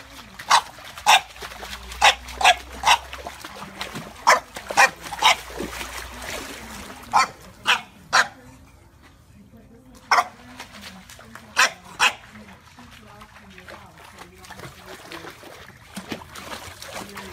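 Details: Playful French Bulldog barking: sharp, short barks in uneven runs, some in quick pairs, with a pause near nine to ten seconds, over a low background of voices and room noise.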